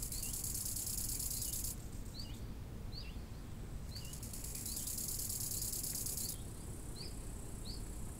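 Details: Crickets by a lake in summer: a high, hissing trill runs for under two seconds, pauses, then returns for several seconds, while short downslurred bird chirps repeat roughly every second over a steady low wind rumble.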